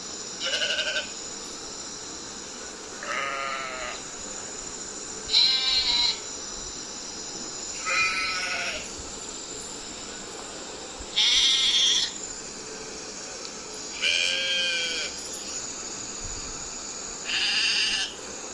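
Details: A sheep (Ovis aries) bleats repeatedly, each short quavering baa coming every two to three seconds.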